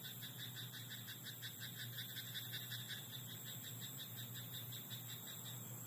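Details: Rice-paddy frog at night giving a steady run of fast, rattling pulsed croaks lasting almost the whole stretch, with a low hum and a faint high whine underneath.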